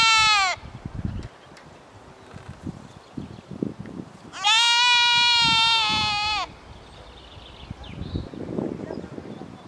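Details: A goat, one of the goats back in Epinay-sous-Sénart, France, gives two loud, wavering bleats, one brief and one long and drawn out.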